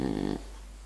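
A French Bulldog gives one short, low, fluttering snore that rattles briefly, then goes quiet.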